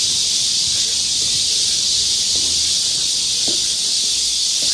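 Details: Loud summer cicada chorus in the woods of Galsan Park, Yangcheon-gu, Seoul, South Korea: an intense, even, high-pitched buzzing hiss filling the whole stretch, with faint low knocks underneath.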